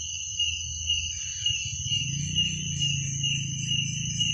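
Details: Crickets at night: a dense, steady chorus of high pulsed chirps, a bright shrill band with a fainter higher overtone, running without pause over a soft low rumble.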